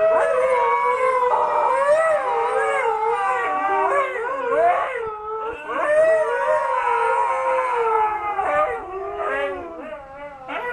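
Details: Husky chorus set off by the 'Old Newspaper' van siren: several dogs hold long, undulating howls that weave over and under one another, with quick pitch dips and short yips near the end.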